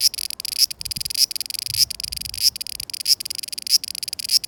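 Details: A cicada sings in summer 2020, Japan: high buzzy pulsing phrases about every 0.6 seconds, each closing with a brief rising accent, plus faint low rustles beneath.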